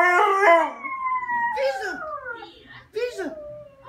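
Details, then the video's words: Crying Siberian husky giving a high, drawn-out whining wail that glides slowly downward, then two short falling yelps with a quiet gap between them. "Siberian husky is crying"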